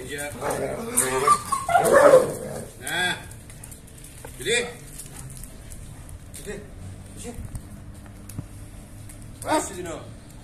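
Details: German Shepherds shown in a mating context, giving several short barks and whining yelps: a loud cluster near the start, then single harmonic yelps spaced a few seconds apart, with people talking throughout.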